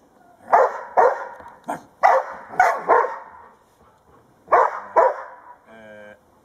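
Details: Two 19-month-old Old English Sheepdogs playing with their owner: loud, punchy barks in quick pairs and singles, about seven in all, then a short nasal squeak at the end.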